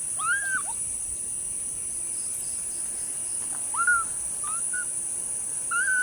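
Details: Group of kittens mewing, April 15, 2025: a handful of thin, arched cries, each under half a second, rising and dropping in pitch with pauses between them; a steady high hum persists in the background.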